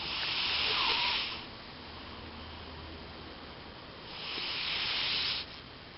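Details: Elvis the cat snoring while asleep: airy, hissing breaths swell for over a second, then fade into a quiet pause, with the next breath about four seconds later.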